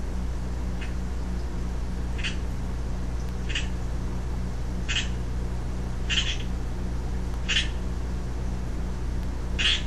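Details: A young male Pacific chorus frog (Pseudacris regilla) calling, short raspy ribbit-like calls about every second and a half over a low steady hum.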